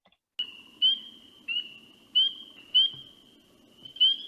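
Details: Spring peepers give high, pure, upslurred peeps about once a second, some close to the microphone, over a dense chorus of more distant peepers forming a continuous shimmering tone like shaken sleigh bells.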